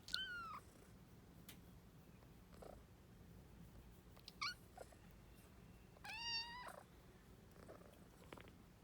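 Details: Two kittens, inseparable since birth, meowing as they refuse to wake up; three short, thin meows, each bending downward, spaced about two to three seconds apart over a soft steady hiss.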